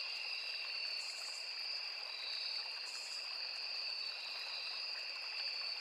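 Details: Crickets calling in a riverside forest, a dense high-pitched continuous trill in two bands, with brief brighter hissy bursts and the steady murmur of flowing water.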